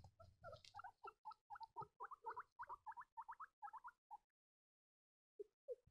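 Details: Baby guinea pigs squeaking: rapid series of short chirpy peeps, about four per second, rising and falling in pitch, fading after four seconds to brief silence before a few more squeaks; some low rumbling handling noise at the start.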